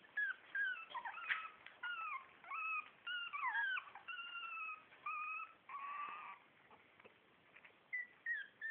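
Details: Four-week-old Shih Tzu puppies from litter A whimper and whine: a busy run of short, tonal, high squeaks, some rising and some falling, overlapping one another, with a longer wavering whine near the end and brief quiet gaps.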